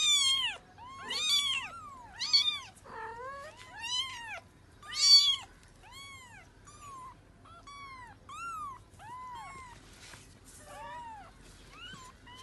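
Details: Mother cat calling for her kittens: loud, clear, arched meows in quick succession, strongest in the first half, then softer rising-and-falling cries repeated roughly every second.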